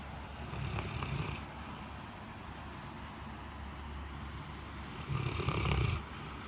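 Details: Blanche, a large white Great Pyrenees, sleeping heavily in a cooled living room on a very hot day after a typhoon: soft low snores at the start and end, with faint breathing between against a steady background hiss.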